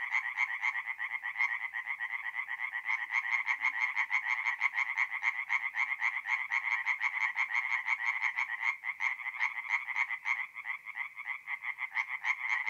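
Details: Tree frogs at a north-east Italian forest pond on an April night: many frogs croaking in quick rasping bursts, overlapping into a dense, throbbing rattle with slight swells in loudness.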